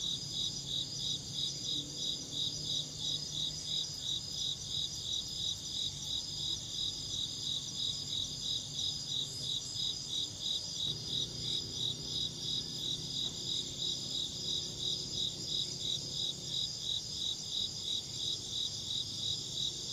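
An insect chirps steadily in a high, pulsing trill that repeats several times each second.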